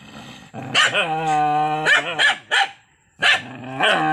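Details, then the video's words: Enraged dog holding a steady, harmonic growl broken by a few explosive barks, then falling quiet before snarling again. "Anjing Lagi Marah ni guys"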